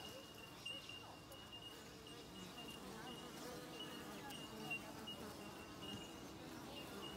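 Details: Many Australian native bees around the hive, their buzzing forming a rough continuous hum that swells and fades, with a constant fine high-pitched whine carrying through the background.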